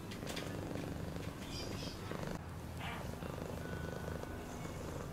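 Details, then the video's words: Cat purr, a low, even vibrating hum made of rapid pulses, with faint thin tones and a short rustle partway through. "Cat purring sound"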